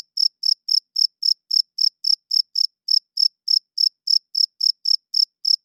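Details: Male cricket singing after dark with rubbed wings, a call meant to win females and claim territory; crisp, shrill chirps tick along at close to four per second, evenly spaced, with nothing else audible.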